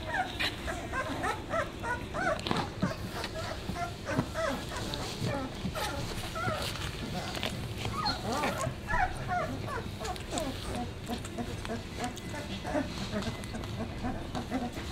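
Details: Sixteen-day-old Basset Hound puppies whimper and squeak in short, thin, repeated bursts, with some speech nearby.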